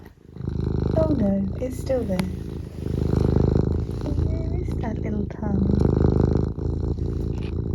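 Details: Pet cat Eric keeps up a low pulsing purr, rising and falling with each breath, while a woman talks softly over it.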